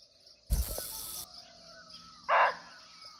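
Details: Muntjac, or barking deer, recorded nearby but unseen in a Nepal forest: a loud rustling burst, then a single short, hoarse bark.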